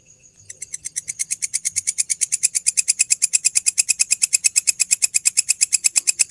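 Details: Night-time grasshopper at Borobudur temple: after a faint high tone, a fast run of sharp buzzy pulses starts and quickly swells to full loudness, repeating roughly seven times a second until the end.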